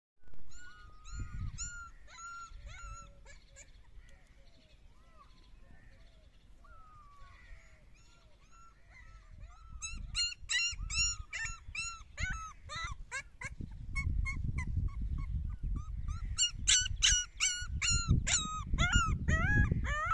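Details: Several puppies at play, giving many short high whimpers and yips, some arched and downslurred, quieter at first then denser and louder in the second half, with low thumping handling noise underneath.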